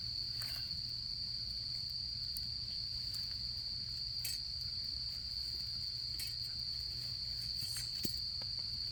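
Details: Insects of autumn trilling without pause next to a crackling campfire; the constant high-pitched ringing holds steady while irregular snaps and pops of the fire break through.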